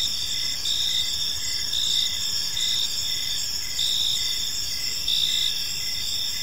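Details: Park crickets at evening sing a constant high-pitched ringing chorus, with rhythmic short chirps repeating steadily and a soft low background rumble.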